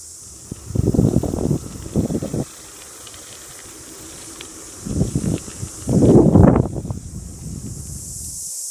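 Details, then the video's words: Deafening, steady, high-pitched cicada chorus hisses without pause beneath a man's speech in New Zealand bush, beside a bamboo-walled mud hut under construction; cicada. "as you can hear the cicadas are deafening"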